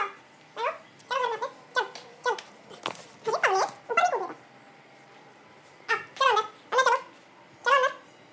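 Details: Male German Shepherd entertaining himself and playing alone while his owners are away: a series of short, high, bending whines and yelps, mostly in pairs of bursts with quiet gaps, recorded indoors.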